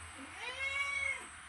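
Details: Domestic cat giving a single drawn-out meow, clear and tonal, that rises then falls and lasts under a second, in a quiet indoor setting.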